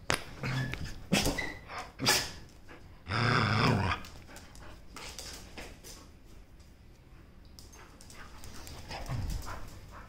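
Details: Male Samoyed playing with a toy raccoon: short throaty growls and whimpering grunts in bursts during the first four seconds, then quieter scuffling and breathing with a brief low grumble near the end.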